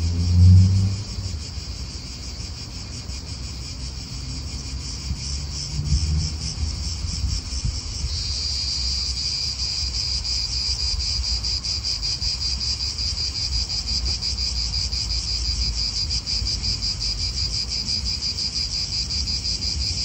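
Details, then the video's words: Cicadas calling in an Italian park, their rasping pulsed buzz swelling and growing stronger after about eight seconds, with a car rumbling past at the start and low wind noise throughout. "italian park ASMR Cicadas wind real atmosphere in an Italian park birds"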